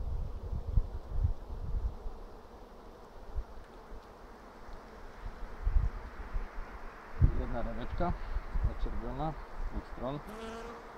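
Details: Apiary honey bees humming during an April 2 hive check for brood, 2016: a continuous low buzzing drone with bumps of handling noise, then a man talking over the hum near the end.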